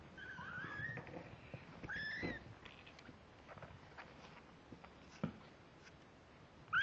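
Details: Young kittens, 17 days old, born October 31, 2011, on November 16, 2011: a couple of high, wavering mews in the first seconds, then quieter rustling and a sharp knock at the close.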